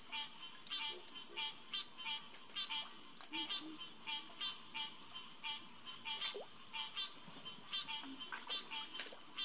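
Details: Chorus of green tree frogs (Hyla cinerea) at Headquarters Pond, SMNWR, 9:10 pm on June 2, 2021: clipped honking notes in quick irregular series, a persistent high insect buzz, and a few faint low sounds.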